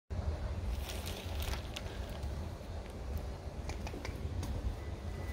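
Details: Low rumbling hum with scattered crackles and rustling bursts throughout, and no barking or other animal sound.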